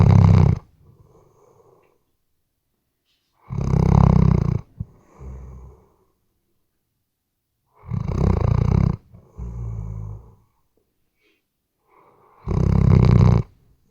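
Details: A Weimaraner sleeps and snores, recorded on a RODE NTG3B: four loud grating inhalations roughly every four seconds, some followed by a shorter rattling snort or soft wheeze.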